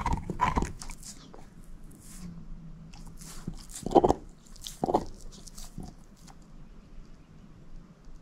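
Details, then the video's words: A shepherd mix, Moose, chews on a bone: a few loud crunching bites early and around the middle, then sparse quieter clicks and gnawing with long quiet gaps. "SHEPHERD EATING BONE ASMR"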